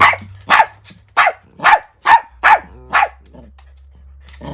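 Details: Angry indoor barking from a Chiweenie, a Miniature Dachshund and Chihuahua mix female, in a standoff with an older Miniature Dachshund; seven sharp barks come in a fast uneven series over about three seconds, then a low hum.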